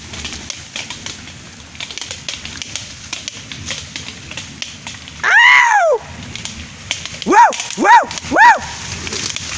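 White-lipped peccary giving a drawn-out squeal, then three short, arched, yelping squeals over steady crackling noise.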